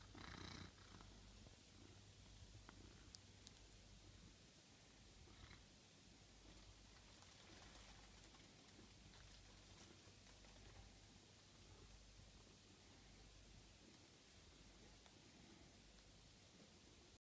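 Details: Cat in a kitchen giving a quiet, continuous low purr, a steady rumble with a few faint clicks and rustles.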